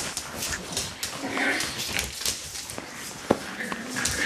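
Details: Dog puppies of one litter give a short high whimper early on, followed by a sharp knock and steady rustling clatter in a small indoor space.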